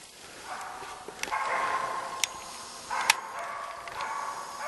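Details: East Siberian Laika named Vera, a Finnish champion, baying at a moose during a hunt; about three sharp, distant barks spaced roughly a second apart, with quiet whispered talk from the hunters over the forest background.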